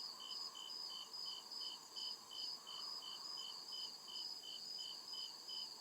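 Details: Crickets chirping in the forest at night, a continuous rhythm of bright, high pulses near two and a half per second in paired bands, over quiet ambient hum.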